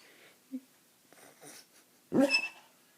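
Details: Snoring basset hound asleep, lying upside down indoors: a faint short snuffle, a soft breathy rasp, then one loud rough snorting burst near the end, with a quiet room between sounds.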